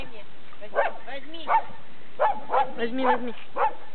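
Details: Labrador Retriever kept as a pet, giving a handful of irregularly spaced barks mixed with arching, rising-and-falling whine-like tones.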